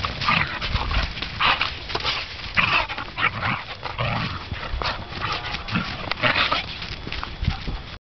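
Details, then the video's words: Whippets Gareth and Nacho in a fight, trading harsh snarls and growling yaps in rapid uneven bursts, with thuds and scuffling between them. "Whippet Fight"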